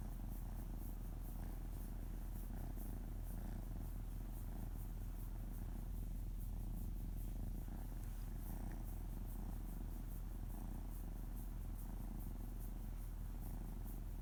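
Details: Pet cat Oto, usually reluctant to sit on laps, lies on one and purrs as his belly is rubbed gently: a deep, even rumble beating roughly four times a second, with faint rustling indoors.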